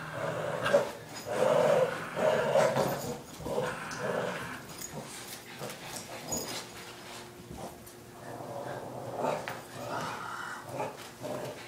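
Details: A Boston Terrier playing tug-of-war with a rope gives a run of rumbling, half-whining growls that soon fade to quieter grumbles.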